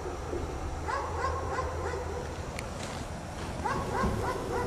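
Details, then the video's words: Dog chained outside in the cold snow, left there all day by its owners, barking: two bursts of short, hoarse barks in quick runs of four or five, separated by a pause, over steady low rumble of background noise. "Dog Barks all day in the snow"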